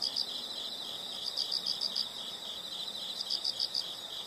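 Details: Insects, heard in a nature sound recording for relaxation, giving rapid high-pitched pulsed chirps in short bursts with pauses, a steady faint shrill drone running beneath throughout.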